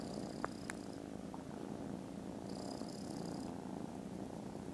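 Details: Very loud, unbroken purring from contented foster kittens resting after lunch on 18th December, a low vibrating hum with a couple of sharp taps early on and faint high thin tones overhead.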